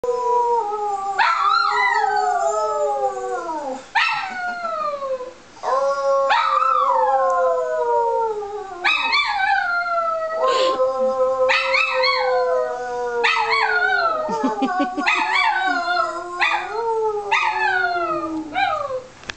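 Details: Female pet dog howling together with her owner: a long series of overlapping wavering howls that start high and slide downward, with fresh howls beginning every few seconds and brief breaks between bouts.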